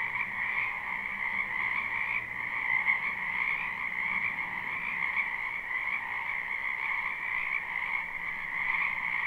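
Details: Frogs of a spring wetland croaking in a thick, continuous chorus, recorded live without loops: overlapping calls at two pitches, steady with slight waves of intensity, a soft low drone underneath.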